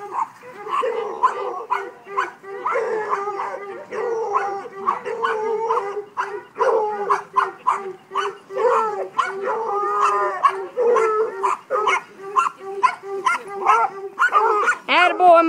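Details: A five-month-old Treeing Walker Coonhound pup named Mojag gives a steady, overlapping run of ringing, harmonic bawls and barks for about fifteen seconds, while a man's voice urges him on between calls.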